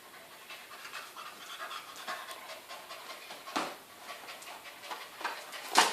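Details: Welsh Corgi named Bori, nicknamed the football god of corgis, panting in quick rhythmic breathy bursts that run steadily through the clip, with a louder puff near the middle and a sharper burst at the end.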